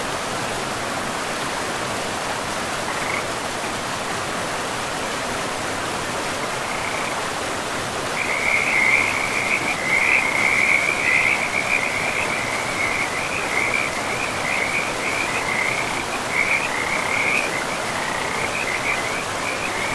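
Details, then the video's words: Frogs by a forest river: after a quiet start, rapid chirping trills build from the middle and continue in a steady run, set against the constant hiss of running water. "River and Frogs sleep sounds"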